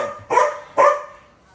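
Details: Pet dog barking at a cat, giving two abrupt, forceful barks roughly half a second apart, then fading into near silence.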